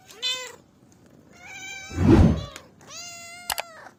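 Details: Cat giving three meows, a short mew at the start, then two longer arched cries, with a low thumping rustle in the middle and sharp clicks near the end.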